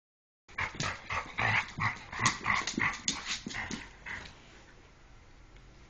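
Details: Jack Russell Terrier and Airedale Terrier playing together: a quick series of harsh, yelping growl-barks in close bursts for about three and a half seconds, tapering off into quiet.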